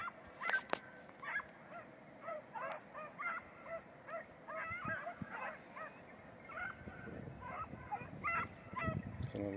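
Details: Red/blue tick and lemon-white Beagles in hare-hunting practice on Crete in 2021 give short, nasal, ringing bays in quick succession, several voices overlapping, over soft rustling and distant noise.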